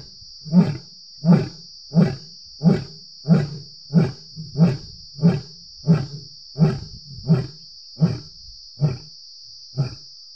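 A lion gives a series of deep, throaty grunting roars, each about two-thirds of a second apart.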